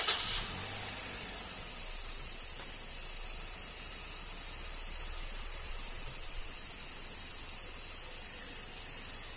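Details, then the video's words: A steady, high cicada chorus in Kyoto, Japan, droning evenly under summer rain, with a soft low rumble at the opening. "Cicadas Summer Rain - Zen Sounds of Kyoto, Japan"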